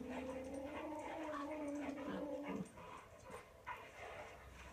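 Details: Toy Poodle whimpering while watching dogs on TV: a sustained, high, wavering whine lasts about two and a half seconds, followed by softer short whimpers and a woman's voice in the background.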